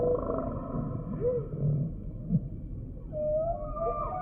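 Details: Humpback whale song units: brief upswept squeaks and short mid-pitched whistles over a low rumbling sea background, ending in a longer, steadier tonal whistle.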